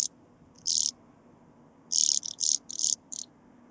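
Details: Blue-winged sand grasshopper, Sphingonotus caerulans, at Bernstein, Austria, on 2 August 2023: short dry rasping bursts, a single one followed by a rapid series of five, broadband and high-pitched over a quiet background.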